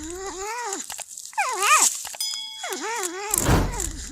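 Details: Porcupine eating corn, giving wavering, whining cries in a low-to-middle pitch with rich harmonics, rising and falling in short bends, three bursts over four seconds, with a steady tone and a burst of crunchy noise near the end.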